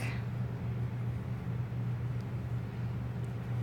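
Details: A steady low mechanical hum with a faint background hiss and no animal sound.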